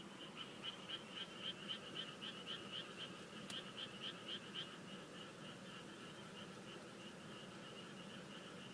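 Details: Frog calling at night in a chorus: a rapid series of short, high pulsed notes repeated several times a second for about five seconds, then fading into a steady hiss of background noise.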